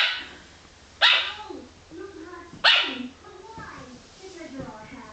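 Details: A female Yorkshire Terrier puppy barks at the wall after eating breakfast, giving two sharp, high-pitched yappy barks about a second and a half apart.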